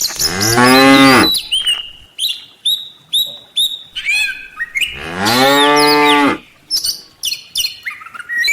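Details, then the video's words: Tame village cattle from a herd of dozens walking back to the farm pen in the afternoon: two long, deep, drawn-out moos with rich harmonics, one at the start and one midway, between busy high chirping birdsong. "suara sapi desa"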